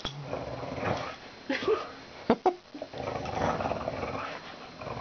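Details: Pet dog named Dory growling while playing tug-of-war indoors; low rough rumbling growls with a few sharp bumps and thuds, in a small room.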